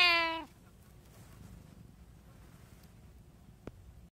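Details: One of three household cats, a group including a tabby, a short-legged Munchkin and an Abyssinian, filmed in daily life on 24 January 2024, gives a single loud meow that slides downward, then quiet room noise and one faint tap.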